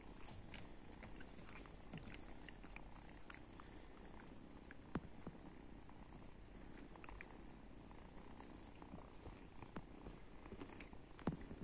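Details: Cats and kittens waking up in the morning indoors, a soft, steady low purring rumble running throughout, with faint small clicks and rustles scattered over it and a few sharper taps.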